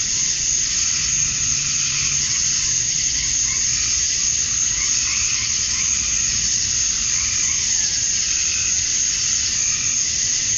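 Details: Cicadas singing at dusk on a summer night in Georgia, USA, males calling to attract females: a dense, unbroken high buzzing wash with fainter wavering tones underneath and a low background rumble.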